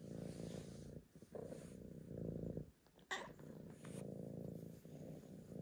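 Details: Archie the tabby purrs in strong rumbling bursts, with a short pause and a sharp click-like noise midway, all while seeking petting.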